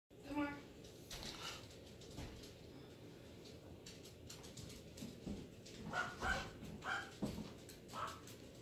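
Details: An 8-week-old female black and tan brindle long-haired miniature dachshund gives short barks and thin, high whimpers, with a person talking in the background.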